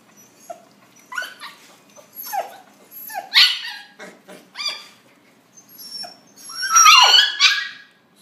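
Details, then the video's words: Puppies calling to one another indoors in a small room: a rapid run of high, rising-and-falling whimpers and yelps, several voices overlapping, growing louder and denser toward the end. "Puppies giao lưu"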